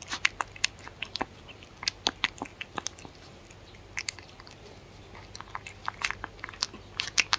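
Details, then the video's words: Dog eating, recorded close up with no talking: crisp crunches and bites in scattered clusters, brief pauses between bursts, bright clicky texture over a faint low hum. "Dog Eating Sounds"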